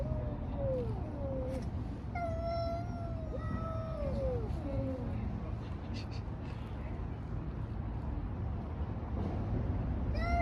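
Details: Cats fighting on the street: several wavering, drawn-out yowls rise and fall in pitch over the first five seconds, with another short wail near the end, over steady low traffic rumble.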